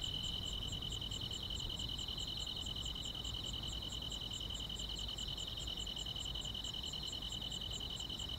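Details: On a quiet countryside summer night, grass insects keep up an unbroken shrill buzzing trill, layered with evenly spaced sharp high chirps about three or four per second, and soft low background noise beneath.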